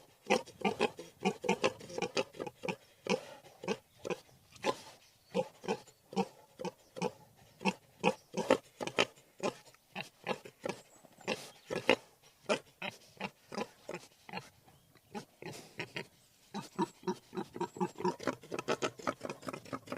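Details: Wild boar giving a long run of short, harsh grunts, several per second, loud and rhythmic with a few brief pauses, the pace quickening toward the end.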